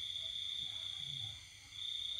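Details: Night cricket in a rural house while the household sleeps, pandemic season: a sustained high-pitched buzzing trill that briefly drops out and then resumes, with faint low rumble beneath.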